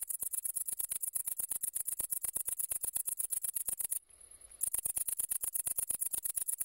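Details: Great green bush-cricket (Tettigonia viridissima) song, a shrill high-pitched rattle of fast, evenly spaced pulses running almost continuously, with a single half-second pause around the four-second mark.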